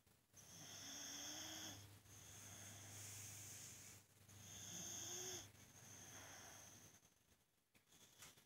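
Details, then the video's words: Sleeping pet boxer snoring loudly at home, a noise said to drown out the TV; hissing, whistly drawn-out snores with a low hum underneath, swelling and fading roughly every two to four seconds. "Funny Snoring boxer, he is so loud you can't hear yourself talk"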